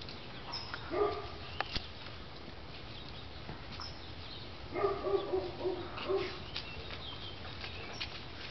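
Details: Oliver the poodle, trying to get to a squirrel up a tree, barks once sharply near the start, then gives a quick cluster of four or five harmonic barks, over steady outdoor hiss.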